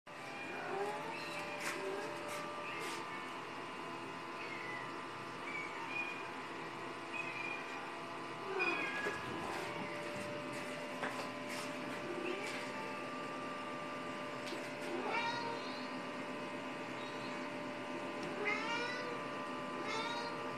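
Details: A pet cat watching other cats on a computer screen; several rising-and-falling meows, clearest near the end, over a steady electronic hum with scattered clicks and faint voices.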